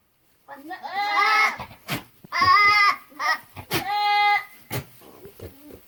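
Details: Buckling, a young male goat, making funny sounds: three long, wavering, nasal bleats rich in harmonics, each about a second long, broken by sharp clicks and rustling, with a few softer short bleats at the end.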